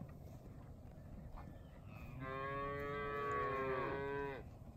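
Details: Young Angus, Charolais and Beefmaster type cow-calf pairs, cows two to six years old with first-calf heifers, kept with a Hereford bull: one long, richly harmonic bellowing moo lasting about two seconds, swelling then fading, over low wind rumble.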